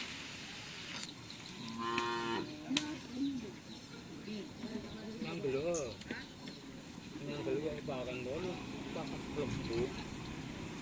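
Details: Racing bulls at an afternoon Karapan Sapi training session in Pamekasan, Madura; several drawn-out wavering moos, with a harsh bellow near the start, over outdoor background noise.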